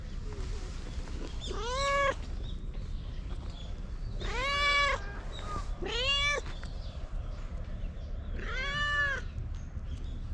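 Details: Stray cat that runs up at full speed to a known person and acts affectionate, recorded with a GoPro: four loud, rich meows, each rising then falling, spaced a few seconds apart over low background rumble.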